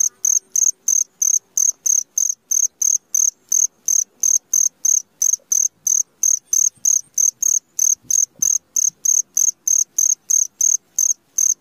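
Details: Cricket calling at midnight: loud, high, even chirps repeated about three times a second in a steady train, with faint low murmurs underneath.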